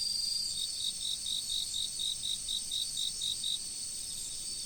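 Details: Riverside insects in autumn: evenly spaced high chirps, about four per second, ring over a dense, shrill background chorus, then stop near the end while the hum continues.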